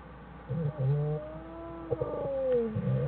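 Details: American black bear family in a den on January 1, 2013, mother Jewel with cubs Fern and Herbie: a low buzzing burst, then a rising-and-falling squealing whine with layered overtones and another low burst.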